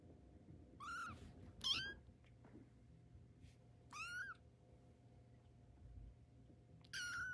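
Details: Tabby kitten taking its first steps, giving thin high mews that rise then fall, four separate cries spread over several seconds against a steady low room hum.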